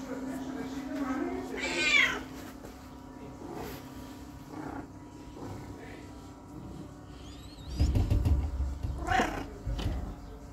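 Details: Minou, a demanding female house cat, meows for attention: a rising meow near two seconds, then more meows around eight and nine seconds, with soft speech and household noise between.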